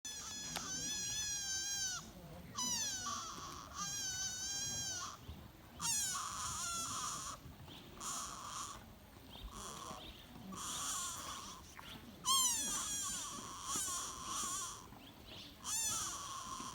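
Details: Sika deer fawn at Todai-ji in Nara, Japan, giving repeated high, thin bleating calls with wavering, rippling harmonics, each lasting about a second and recurring every two seconds or so, with faint background murmur.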